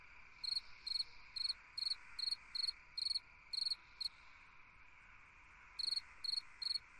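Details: Summer-night cricket song of crisp pulsed chirps about twice a second, broken by a gap of nearly two seconds before resuming, with a constant insect hum beneath.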